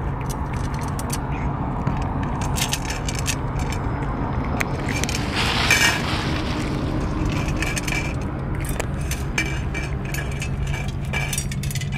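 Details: Scraping and rustling clicks over low background hum and distant traffic, with no animal voice heard.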